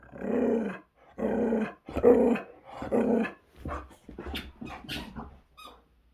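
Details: Boxer dog Zeta playing hard with a squeaky toy indoors, growling in long, deep rumbling bursts about a second each, then shorter broken growls with faint squeaks near the end.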